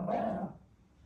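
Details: Four-year-old Maltese dog made to wait for a treat lets out a single short, harsh bark lasting about half a second, just after a person speaks, then quiet.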